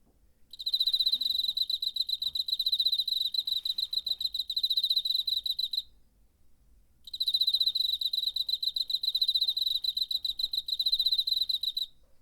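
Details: Cricket recorded in September on a handheld recorder; high, bright pulsed chirps repeated rapidly in two long bursts of about five seconds each, separated by a short silence, with a very quiet background.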